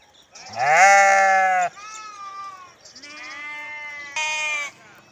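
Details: Sheep bleating with a loud quavering first call, then softer drawn-out bleats and a short higher bleat at the end.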